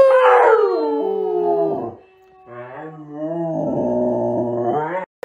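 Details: Siberian Husky, a pet dog, howling: long sliding harmonic howls that start high and fall over about two seconds, a short pause, then a lower, steadier drawn-out howl; brief speech and music nearby.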